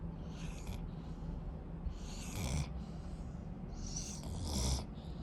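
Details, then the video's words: Asleep, a Rottweiler puppy draws airy, raspy snoring breaths at a slow even pace, some ending in a brief low snuffle, against a constant low-pitched room hum. "Rottweiler Puppy Snoring"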